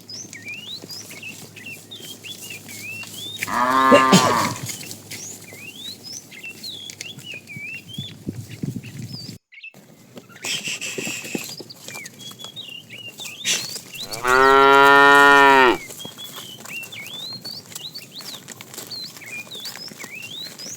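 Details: Morning herding of cows and calves looking for food: a brief moo early on, a quieter stretch with rustling, then a long, loud, full-throated moo lasting over a second, with bird chirps throughout.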